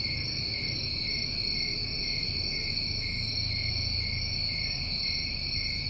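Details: New England summertime crickets form a continuous shrill chorus of overlapping steady trills, a brief airy burst above them around the middle, and low rumbling noise underneath.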